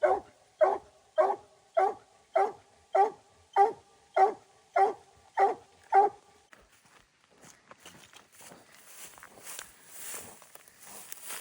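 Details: Coon-hunting dog barking in a regular rhythm, roughly ten evenly spaced barks over six seconds, then the barking stops and gives way to rustling, footsteps and a broad hiss of outdoor noise.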